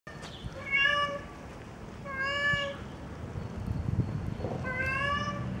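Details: Male cat calling while looking for a mate, wanting to father kittens: three drawn-out, harmonic-rich meows, each about half a second, spaced over five seconds against a steady low background hum.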